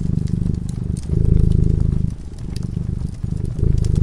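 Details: Sleeping cat beside a crackling fire, purring in a thick low drone that swells and dips every second or so, with scattered pops and clicks from the flames over the rumble.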